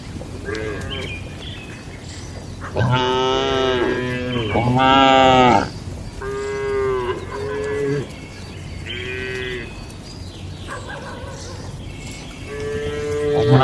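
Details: Tame cattle in a farm barn during their daily routine, eating and gathering; several harmonic moos follow one another, some long and loud, others shorter and softer, with faint higher chirps between them.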